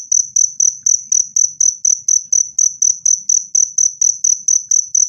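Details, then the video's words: A cricket's clean, loud chirping, meant as a natural rat repellent and to soothe stressed birds. Sharp high chirps follow at a steady pace of roughly four per second, and the background is nearly silent. "SUARA JANGKRIK PENGUSIR TIKUS jernih dan keras"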